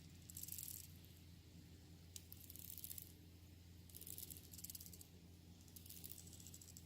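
Termites make dry, hissing rattles in bursts of about a second, repeated every couple of seconds.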